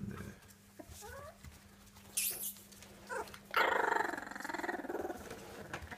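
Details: Border Terrier puppies, whimpering with short rising and falling whines, then a louder, longer whining cry with a buzzy, pulsing quality near the end; a steady low hum runs underneath throughout.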